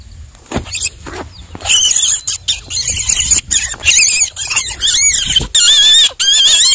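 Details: Baby rabbit screaming after being caught, a normal rabbit reaction when fearing for its life; shrill high wavering squeals begin after quiet handling noises, growing into near-continuous bursts toward the end.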